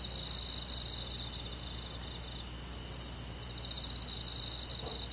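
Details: Crickets calling among forest insects on a summer night, a constant high sizzling chorus with fast, even trilled pulses at the start and end, and a brief soft low knock near the close.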